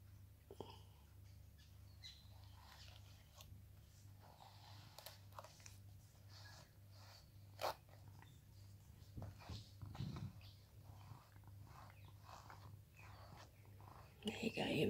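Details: Rescued cat Sam, at home in Cooktown, Queensland, Australia, purrs through a grooming session. A long, even low drone carries on beneath brushing and handling noises, with occasional bird calls outside.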